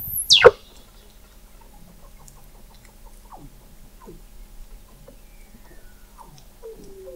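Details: Weddell seal calling beneath the sea ice of McMurdo Sound, Antarctica, recorded in November 2017 by the McMurdo Oceanographic Observatory 21 m underwater: one loud, sharply falling sweep, then a series of faint, short downward chirps spread over several seconds.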